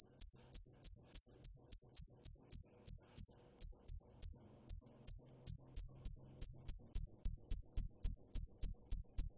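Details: Cricket giving loud, high, ringing chirps at about three per second, with the rhythm occasionally broken by short gaps before resuming. Faint low thumps sound beneath.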